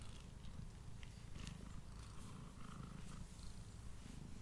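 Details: Pet male cat purring steadily as it eats indoors, close-miked with a Blue Yeti: continuous deep, buzzing throb with fine rapid pulsing, plus faint crisp ticks and mouth noises above it.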